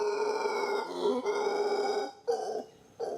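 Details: In the Costa Rican jungle, a howler monkey gives a loud, rough, drawn-out roar like a big cat's, a call that tells other troops where its group is.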